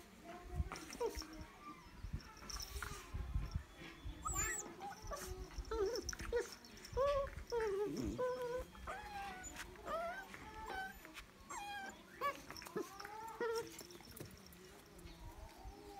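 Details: Pakistani Bully puppy, described as a sheepdog puppy, at playtime: short, wavering, high whines and whimpers come in irregular bursts over thumping handling noise and low background rumble.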